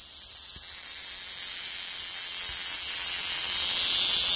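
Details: Cicada singing: a dense, hissing high-pitched buzz that swells steadily louder over about four seconds, with no other clear sounds.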